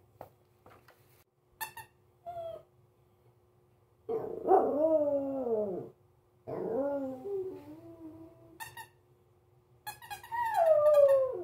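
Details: A Pomeranian, unsure of a new squeaky toy, gives drawn-out, falling, whining yelps between short squeaks from the toy.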